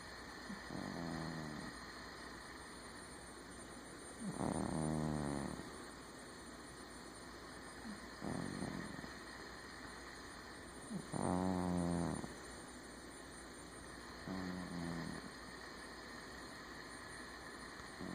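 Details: Sleeping cat snoring: five harmonic, buzzy snores, each about a second long, recurring every three to four seconds with quieter breaths between, over a steady low background hum.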